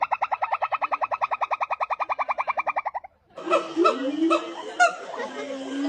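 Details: Monkey giving a fast, evenly pulsed chattering call, about ten beats a second for three seconds, then a sudden switch to scattered squeaks and short nasal yelps.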